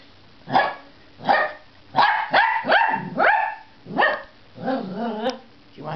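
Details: Two Dachshunds give a string of sharp, high barks, some stretching into rising, yodel-like yelps; they bark to be let outside, and the smaller one barks just for fun.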